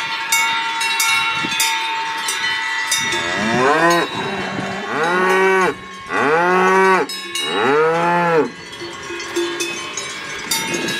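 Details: Salers cattle on a farm at Freyssac, lowing with three long, rising-then-falling harmonic moos between roughly four and nine seconds, against a steady jangle of cowbells.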